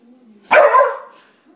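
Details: A corgi attacking a broom gives one sharp, full bark that fades quickly.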